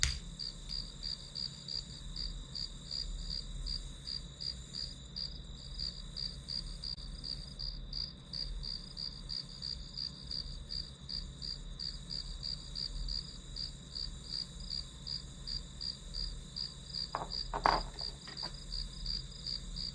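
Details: Grass insects providing the backdrop for a one-hour study session: a high, steady shrill with quick pulses about three per second, over a low constant hum, and a brief knock near the end.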